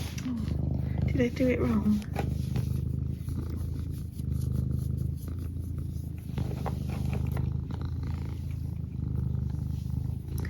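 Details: Indoor pet cat giving a continuous low rumbling purr, with a brief chirping vocal flourish early on and a person speaking softly nearby.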